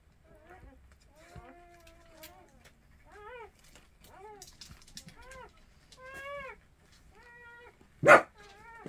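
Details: Orphaned mixed-breed puppies being hand-fed by two new caretakers whine in a series of high, arched cries, about a dozen in nine seconds, ending with a sharp click.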